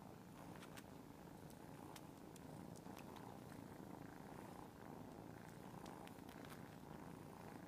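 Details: Many cats purring at once, giving a continuous, dense low throbbing drone without pauses, with occasional faint clicks above it.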